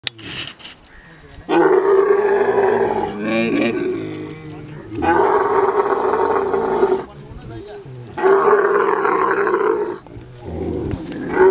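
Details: Kharai camel, a unique swimming camel breed from the coastal belt of Kutch, Gujarat, India, calling during mating: long loud gurgling roars of about two seconds each, three main bouts with short pauses, harsh and throaty.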